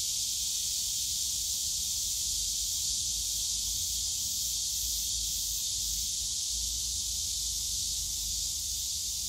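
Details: Dense cicada chorus in a park bamboo grove at Yongsan Family Park in summer, an even, shrill, continuous hiss throughout, with low rumbling background noise.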